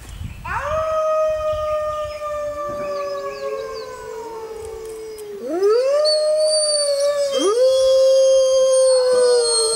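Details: Several gray wolves (Canis lupus) howl together in the wild on a full-moon night in the jungle, their long, steady, overlapping tones joined by new voices sliding upward.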